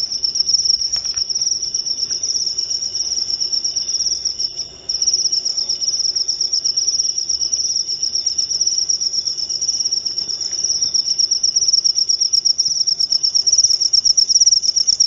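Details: Long unbroken high trill from a cricket, a dense buzzing stream of fast pulses with a brief dip near the middle, meant as insomnia therapy and a rat deterrent.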